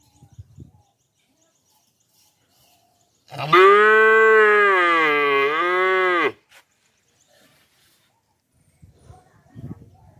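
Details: Baby cow lets out a single long moo of about three seconds, rich in harmonics with a wavering dip in pitch near the end, surrounded by quiet with faint rustling.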